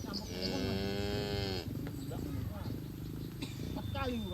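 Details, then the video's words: Herd of farm cattle grazing in a green field, enjoying the grass: one long, deep, harmonic moo lasting about a second and a half, then softer mixed rustling and a few short high chirps in the background. "Suara Sapi Moo"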